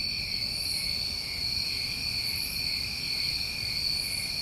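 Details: A continuous wall of high cricket trilling from a New England summer, two even pitch layers without pause, topped by occasional short hissy pulses near the very top of the range.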